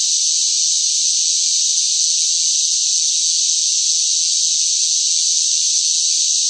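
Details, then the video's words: Shrill cicada song under hot summer conditions, an even, saturated electric buzz that never breaks or changes rhythm over the few seconds heard, with nothing else audible. "뜨거운 무더위 속 시끄러운 매미 울음 소리, 시끄러운 매미 소리가 듣고 싶을 때"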